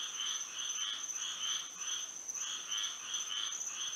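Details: Frogs calling at night in Florida under moonlight, a brief stretch of buzzy, pulsing croaks repeated several times a second, layered over an unbroken high-pitched hum.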